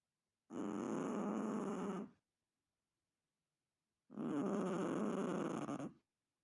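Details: Two harsh, rumbling snores from a sleeping Chihuahua, each about one and a half seconds long, separated by roughly two seconds of silence.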